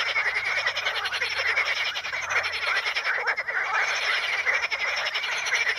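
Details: Frogs at the Ispani mires, calling from curled pondweed (Potamogeton crispus): a dense, unbroken chorus of overlapping rapid pulsed croaks, fairly high and rasping, with no pauses through the whole stretch.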